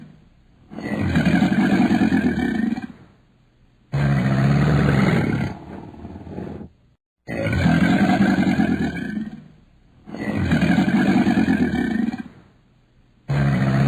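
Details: Crocodile giving four loud, low, rasping growls, each lasting two to three seconds, separated by short abrupt silences; rough rumbling tone with a buzzing low core and no other sounds.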